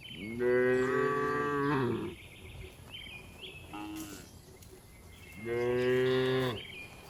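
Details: Tame cows returning to the barn during afternoon herding in a village; two loud, long, rich moos about four seconds apart, with a brief fainter call and short high chirps between them.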